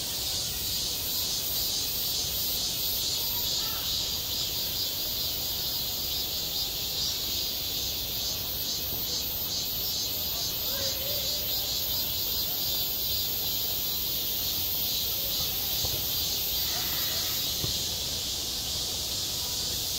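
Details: Cicadas singing in midsummer on a school playground: a loud, dense, shimmering buzz high in pitch, pulsing in steady waves about twice a second, with a faint low background hum.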